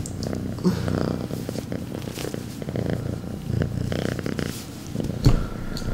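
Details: House cat giving a mega loud purr: continuous deep, pulsing rumble that swells and eases slightly, with a brief click near the end and a quiet indoor background.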